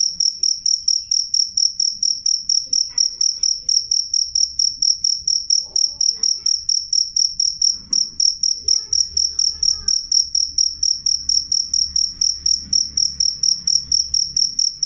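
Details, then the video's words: A cricket calls loudly and clearly with a fast, unbroken series of piercing high chirps, about four each second, for the whole stretch. Faint scattered low sounds sit in the background. "suara jangkrik jernih keras"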